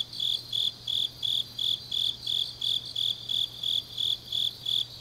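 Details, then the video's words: Grass insects on a deep autumn night in Changnyeong, South Gyeongsang, Korea: high, shrill chirps pulse steadily about three times a second, with a faint low steady hum underneath. "깊은밤 가을 풀벌레 소리"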